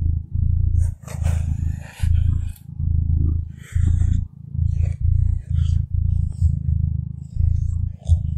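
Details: Contented domestic cat purring steadily, a low rumbling throb pulsing with each breath roughly every second, with faint scattered higher rustles and whispery sounds above it in a small room.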